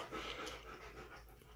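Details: Siberian Husky panting on an exam table during a vet visit: soft, breathy, noisy puffs in a steady rhythm, quiet and close, with people talking nearby in a small room.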